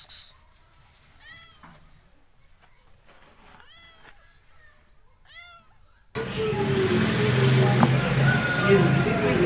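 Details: Cats and kittens meowing: a run of short, high mews repeated roughly twice a second for six seconds, then a sudden loud rushing, rumbling noise drowns everything out.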